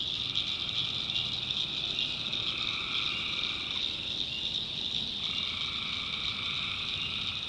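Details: North Carolina tree frogs at night, a massed shrill chorus running without pause, while a lower-pitched set of calls drops out briefly just before the fifth second, then resumes.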